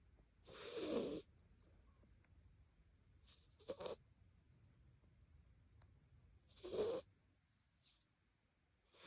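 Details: A pet cat snoring heavily indoors: three rasping, breathy bursts spaced roughly three seconds apart, each lasting under a second, with near silence in between.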